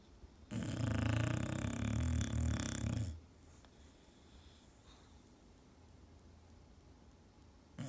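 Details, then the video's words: An English Bulldog snores in its sleep. A single deep, rattling inhale-snore lasts roughly two and a half seconds, then quiet breathing follows, and another snore starts at the very end. "My Funny Enlish Bulldogs Snore Like Old Men!"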